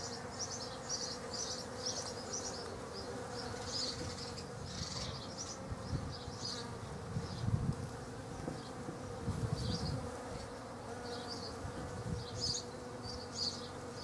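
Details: Hundreds of Western honey bees attracted to poached egg plants in a back garden buzz with a low, steady hum that swells as they pass close.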